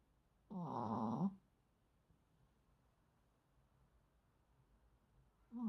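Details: A sleeping Maltese dog gives one clear, throaty snore lasting under a second in a quiet room. A second snore begins just as the recording ends.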